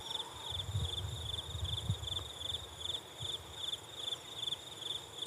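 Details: Unidentified insect chirping in a steady pulsed band, pulses repeating rapidly in short groups, with low rumbling background noise beneath.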